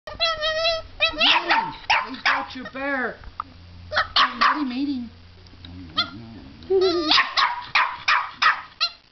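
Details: Puppy barking at a fake alligator head that holds its teddy bear: sharp, fast barks mixed with high, tonal yips and whines, while people talk and exclaim over the barking.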